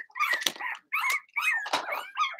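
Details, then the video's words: Young Cavalier King Charles Spaniels, part of a Blenheim litter of six, yapping in their puppy pen at home. Squeaky, overlapping barks and whiny yelps follow in quick bursts, about five in two seconds, from more than one puppy. "Cavalier Puppies Bark, Howl"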